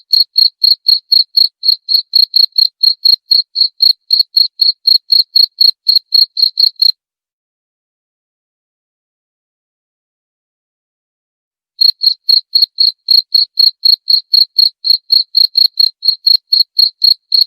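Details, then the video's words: Cricket chirping, a recording presented as a lure sound and a way to drive away rats: short high pulses, about four per second, in a steady run. The chirping stops for nearly five seconds, then resumes at the same pace. No other sounds. "Cara ampuh usir tikus dengan suara jangkrik/suara pikat ampuh jangkrik"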